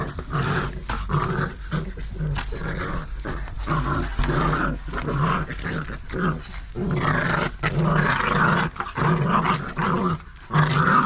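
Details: Nine-week-old Staffordshire Bull Terrier puppies tugging with their mother indoors. Low, rough growling rumbles on and off in uneven bursts, with scuffling between them and short quiet breaks.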